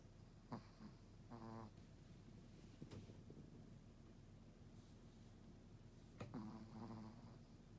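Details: Chihuahua asleep on a bed with its tongue out, snoring: short nasal snorts near the start and again toward the end, over soft, steady low breathing indoors.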